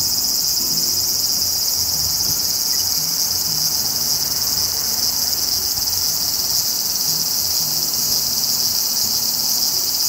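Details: Summer song of the large brown cicada, a woodland species of Hokkaido to Kyushu, whose call is said to resemble oil spattering in a hot pan. A continuous, harsh, high buzzing hiss runs evenly without pause.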